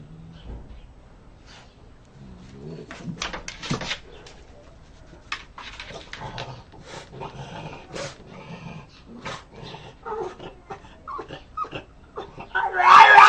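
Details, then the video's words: A dog outside wants to come in, making funny soft grumbling growls and whines among scattered scratching clicks, with a louder burst of noise at the end. "Собака просится домой, смешно рычит"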